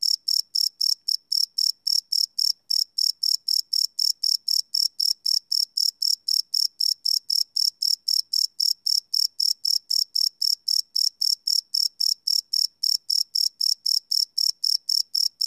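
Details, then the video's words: Crickets at night, live field recording with a Sony PCM D100; a continuous train of shrill, pulsing chirps at about four per second, unbroken for the whole stretch, nothing else audible. "Cricket Chirp Sound - Cricket Sounds at Night"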